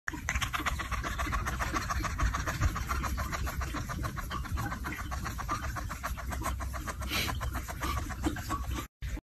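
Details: Cat making a helicopter-like sound: a continuous rapid fluttering pulse, steady and throbbing for about nine seconds with strong low rumble, ending abruptly.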